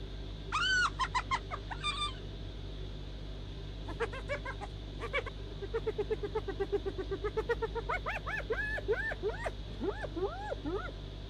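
A hyena gives rapid, high, giggling cackles mixed with rising and falling whooping notes.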